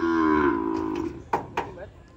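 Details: Peranakan Ongole cow from Kebumen, being shipped to Klaten, gives a single loud moo about a second long, steady then sagging slightly in pitch, followed by two sharp knocks, with faint music in the background.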